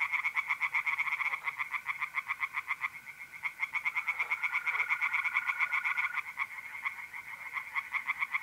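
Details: Pond chorus of tree frogs at night in mid-April, north-east Italy, rapid rattling croaks repeated several times a second, voices overlapping, while mole crickets hold a continuous even trill.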